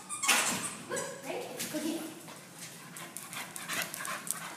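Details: Labrador Retriever playing fetch, awaiting adoption, recorded 29 May 2015: one sharp, loud bark near the start, then scuffling, panting and a person's encouraging voice urging the dog to catch.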